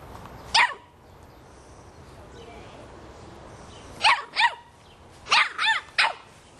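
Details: Three-and-a-half-month-old Boston Terrier puppy yapping at a soccer ball: one shrill bark, a pause, then a quick pair and a fast burst of three high, sharp barks near the end.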